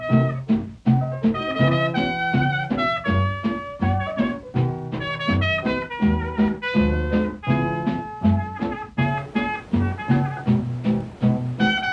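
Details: Upbeat swing-style jazz with brass and guitar plays in a steady, bouncing rhythm throughout, with no animal sound audible.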